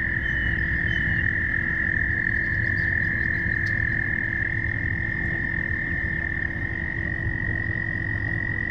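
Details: Frog; mating call; courtship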